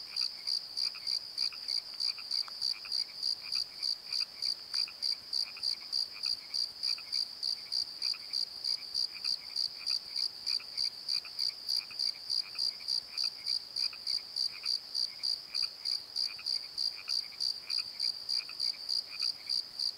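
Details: Crickets calling at night from a tree in a valley bottom at Pozo, recorded on a Nikon D7100: a steady, high, bright chirp repeated about three times a second without pause, over softer, lower, irregular pulsed calls in the background.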